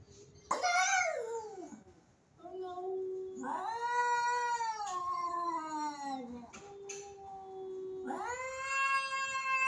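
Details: A mother cat and a Siamese cat trade long, wavering yowls and moaning caterwauls, rising and falling in pitch as they square off before a fight.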